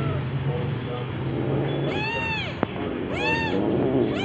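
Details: Domestic cat recorded around orange cat Jay's second birthday on 19 March 2023, giving three arched, harmonic meows rising then falling, about one each second in the second half, over a steady low hum and background noise.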